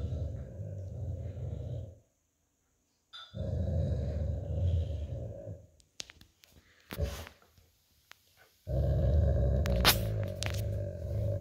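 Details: An old Golden Retriever lying on a cool tile floor after a walk, growling while playing tug-of-war with an American Akita puppy over a plush toy; long low rumbling growls of about two seconds, a pause, then a brief clatter before another sustained growl.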